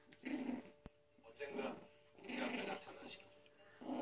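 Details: A Pomeranian and a poodle set against each other, heard as three rumbling growl bursts separated by short pauses, overlaid by voices talking in a small room.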